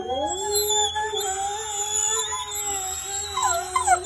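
A wolf holds a drawn-out, even howl that barely wavers in pitch. Toward the close a second, higher voice slides upward alongside it over a faint low throb in the background.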